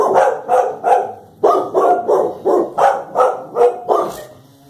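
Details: Clumber Spaniels barking at an approaching cow while guarding their owners; a fast, steady run of about eleven hoarse barks, roughly three each second, fading out at the end.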